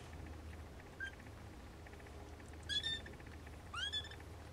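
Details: Siamese snowshoe kittens giving two high, thin mews, each rising sharply then falling, spaced about a second apart, with a faint short squeak before them over quiet indoor background hiss.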